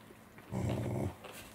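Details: Welsh Corgi dogs Roku, Angela and Kuro eating saury on 10 November 2020; one low, rough, voiced growl lasting about half a second, rumbling steadily before stopping, with quiet room noise around it.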